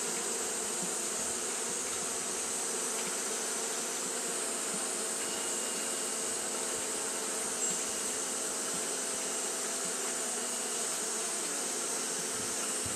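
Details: Steady droning of Japanese honey bees fanning through a hot day, a continuous low buzz with stacked overtones and an airy high hiss, unchanging from start to finish.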